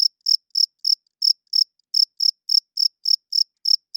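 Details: High, ringing chirps of a male cricket calling at night to attract females and claim territory: around fourteen crisp pulses in four seconds, regularly repeated, with only a couple of faint ticks between them.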